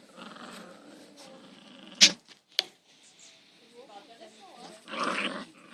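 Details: Five-week-old Labrador Retriever puppies playing in a garden: soft growls and small, high squeaky whimpers under rustling, with two sharp clicks early on and a louder scuffling burst near the end.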